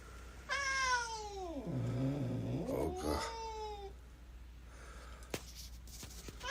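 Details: Hungry domestic cat meowing indoors: one long, drawn-out meow that falls in pitch, then rises and levels off, followed by quiet room sounds and a click.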